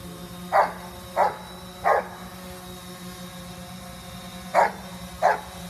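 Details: Coco Bear, a Giant Schnauzer, chasing after a drone, gives five short barks, three evenly spaced in the first two seconds, then a pause and two more, with a constant low mechanical hum beneath.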